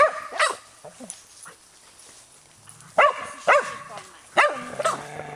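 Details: Skye Terrier barking in separate sharp bursts, a pair near the start and three more later, with quiet gaps between and faint human voice low in the background.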